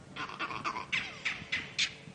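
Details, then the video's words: Furious monkeys alarm calling at a leopard that has just crossed through, heard on a morning safari drive at sunrise: a rapid run of about eight harsh, barking calls, roughly four per second, with distant background hiss. "that's that is a leopard alarm call I might not speak monkey perfectly or fluently but that is a bid alarm for"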